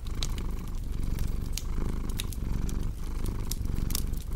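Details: Purring cat with a crackling fire: a low rough rumble rising and falling in slow waves, frequent bright snaps and pops from burning wood on top.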